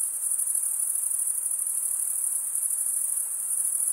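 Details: Crickets stridulating, the males making sound by rubbing one wing over the toothed vein of the other, form a dense, steady, high-pitched shimmering chorus with a fast pulsing texture and no pauses.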